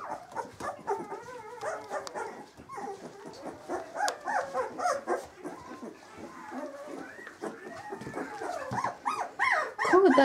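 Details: Several 18-day-old Samoyed puppies squeaking together: a continuous tangle of overlapping high, wavering whimpers and squeals, growing louder toward the end.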